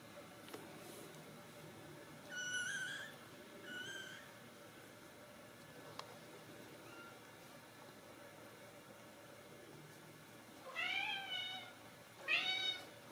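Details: Ragdoll kittens raised in a home cattery in central Kansas, giving high, thin meows with stacked harmonics: two short calls near the start, then a gap of quiet room noise, then two more rising-falling mews near the end.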